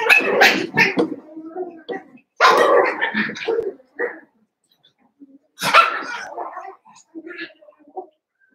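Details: Cavalier King Charles Spaniel puppies wrestling and playing with their adult auntie in an indoor puppy pen; gruff growly barks and yips come in three rough bursts separated by short quiet gaps, with faint scuffling between.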